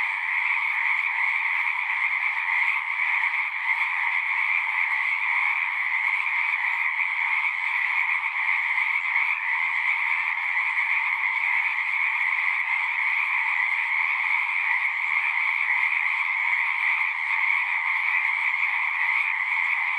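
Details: Pond frogs in a horse pasture, recorded with a Zoom 6, keep up a constant massed chorus of shrill, pulsing trills, two layered pitches holding steady with no break.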